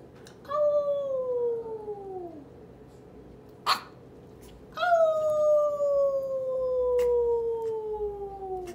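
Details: An 8-week-old merle toy Chihuahua puppy, its whole body shaking, barks back with two drawn-out, wavering howls that slide steadily downward in pitch.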